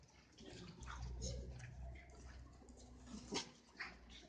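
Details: Cavalier King Charles Spaniels at play, mock-attacking each other indoors: a low, rumbling growl-like noise for about a second and a half, then two short, sharp yaps near the end, with faint human voices behind.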